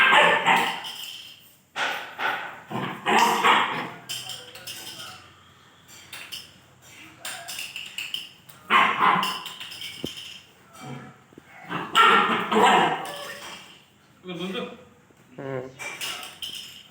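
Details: German Shepherd puppy playing with a person, giving sharp, loud barks and yips in short clustered bursts separated by quiet gaps, with a human voice mixed in at times.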